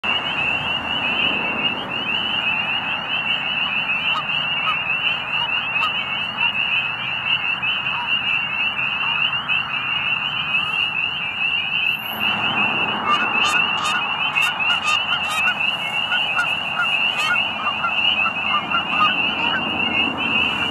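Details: Spring peeper frogs giving mating calls at dusk as spring nears, at a pond in Middle Creek Wildlife Management Area, Pennsylvania; a dense, steady chorus of high shrill peeps, with scattered lower goose calls joining after about twelve seconds.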